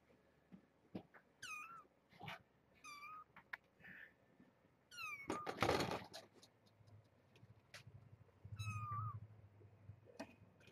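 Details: Kittens of Janine, a rescued stray cat from the Tulalip, WA area, at Purrfect Pals, in a morning check: several high, thin meows with falling harmonic sweeps, spaced every second or two, over room hum, thumps and a man's voice.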